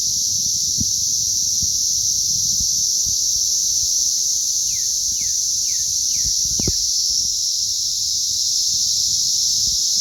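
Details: Chorus of hatching cicadas, May 20th 2034, a relentless shrill droning wall of sound, with a quick series of five downward-sliding notes mid-clip and a couple of sharp low thumps.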